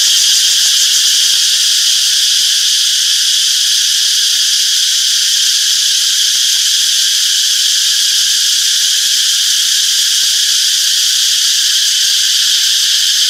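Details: Cicadas chirping in a peaceful summer forest: an intense, seamless high buzz with a faint fluttering texture, unchanging in volume, with no birds or other noises.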